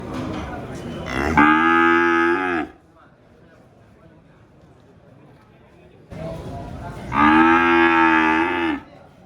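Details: Cow mooing, two long harmonic-rich moos of about one and a half seconds each, separated by a quiet pause of several seconds, with a brief click-like noise just before the first moo.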